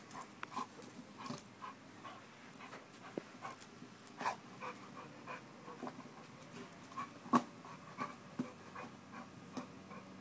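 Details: American Bulldog panting during a muscle-building workout, soft breathy bursts repeating about twice a second with a few sharper louder puffs, over a steady low indoor hum.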